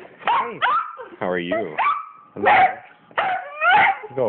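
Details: Penny and Oliver, pet dogs freaking out with joy as their owner comes home, give curving whines, a long held whining tone and sharp barks, spaced unevenly, while the owner keeps speaking over them.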